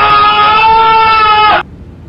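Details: A groundhog (Marmota monax) gives one loud, drawn-out, steady, shrill scream that stops abruptly after about a second and a half.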